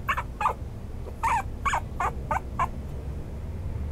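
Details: Toy Poodle and Maltese mix, a Maltipoo, letting out roughly eight short, sharp yips in an uneven series during the first three seconds, then quiet; steady low rumble in the background.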